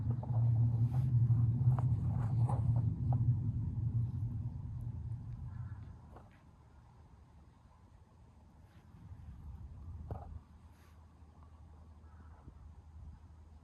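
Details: Tortoiseshell cat Sabi-chan, who goes still when someone comes to meet her, purrs in a deep, even, continuous drone for about six seconds, then it fades into quiet background with a few soft taps.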